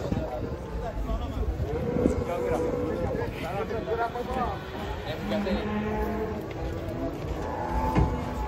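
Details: Cattle being unloaded from a truck, with several overlapping drawn-out moos forming steady harmonic bands, set against a noisy backdrop of human voices and general commotion.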